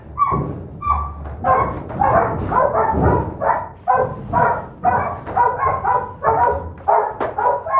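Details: Holdback female Doberman Pinscher pup, littlest in the litter and relentless in biting, giving repeated rough yelping barks near two per second, some drawn out and wavering, with low rumbling handling noise underneath.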